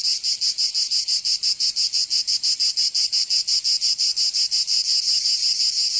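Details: High, grating cicada song recorded in summer in Provence, southern France; a continuous buzz throbbing in regular rapid beats, near three per second, with no birds, wind or voices.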